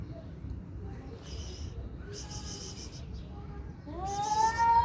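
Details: During a cat fight, several short breathy hisses burst out a second or so apart, then a rising, moaning yowl begins and climbs toward the end, over a constant low background hum.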